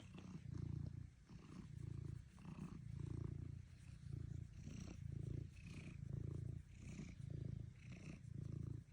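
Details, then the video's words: Cat purring steadily, a low rumbling drone broken into regular swells about every 0.7 seconds as the breath goes in and out, with faint soft rustles above. "Cat | purr | mendengkur"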